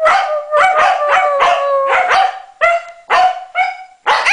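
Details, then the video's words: Norwegian Elkhound named Maddie singing with a Husky: a run of loud, ringing yelping howls, each bending slightly downward, repeated about twice a second with short breaks, then a few separate rising cries at the end. "Norwegian Elkhound Maddie sings with Husky"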